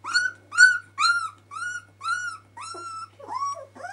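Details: Puppies of Kiska at twelve days old give clear, loud whining cries: eight drawn-out tonal squeals, each about a third of a second, the last ones wavering and rising.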